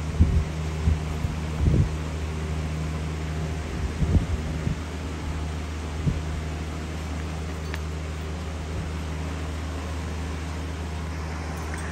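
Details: Constant fan-like drone with a few dull bumps and handling thuds in the first seconds, and no animal voice heard.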